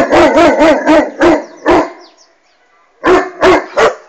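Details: Irish Wolfhound barking at a flying hot air balloon; a fast series of six deep, booming barks, a two-second pause, then three more in quick succession.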